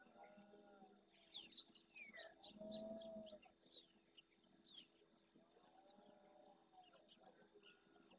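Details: Red deer stag in rut at dawn in the Doñana National Park marshes, Andalusia, Spain, courting his hinds and warning rival males off his territory and harem; one low, harmonic bellow of about a second rises midway, amid a busy chorus of chirping and whistling birds.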